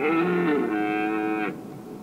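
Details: Red deer at Weerterbos during the rutting prelude, late September 2013, around 19:00–19:30: a single loud, drawn-out harmonic roar with a wavering start, lasting about a second and a half.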